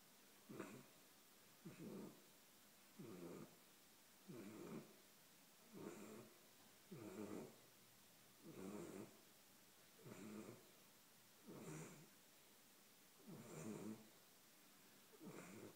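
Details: A 13-week-old Golden Retriever puppy snoring while asleep: soft, rasping breaths repeated roughly every 1.4 seconds, each a broad noisy burst with quiet gaps between, in a calm indoor setting.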